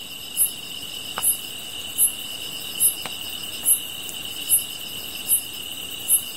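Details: Chirping insects by a fire, with a continuous high-pitched trill in the background and a piercing short chirp returning about every 0.8 seconds; occasional soft crackles.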